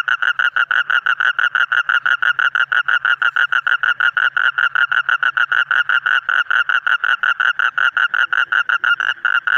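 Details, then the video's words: Loud, even series of short pulsed croaks from colourful frogs, yellow, green, red and others, about three per second without pause, with a faint low hum underneath. "Different Colorful Frog Sound ।। Yellow, Green, Red, etc"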